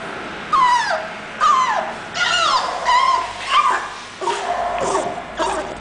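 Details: English Bulldog whimpering: six or seven drawn-out whines, each sliding downward from a high pitch, coming about once a second over a steady background hiss.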